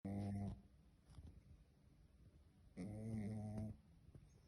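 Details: Dog snoring indoors: two rough, buzzing snores, a short one at the start and a longer one about three seconds later, with soft breathing between them.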